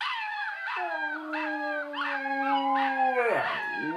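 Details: A Siberian Husky howls at puppies, giving a long, sustained howl that holds steady, then breaks off.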